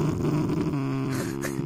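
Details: A 3-month-old Rottweiler puppy growls in a low, rumbling, sustained tone in a playful aggressive reaction.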